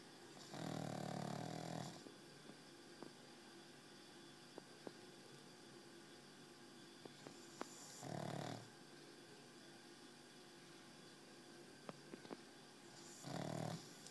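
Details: Exhausted pet dog asleep and snoring: three harsh, buzzing, rattling breaths spaced several seconds apart, each lasting about a second, with quiet room noise and small clicks in between.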